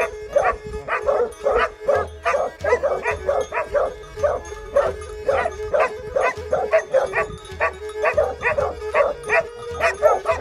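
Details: Plott Hound and Serbian Tricolor Hound in Greece, 20 March 2020. Rapid repeated barks come close together and are sometimes doubled. A steady hum and low rhythmic pulses play behind them.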